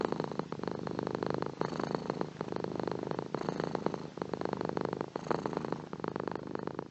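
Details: Domestic cat purring, presented as a relaxing sound for sleep: a steady, low, vibrating rumble that swells and fades in breathing cycles about every one and a half seconds, with short breaks between breaths and no other sounds.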